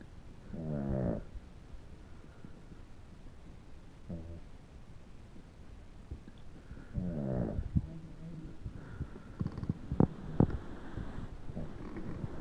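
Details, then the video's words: Sleeping dog snoring; low rasping breaths in slow irregular bursts with quiet pauses, some brief sharper clicks near the end. "Snoring dog"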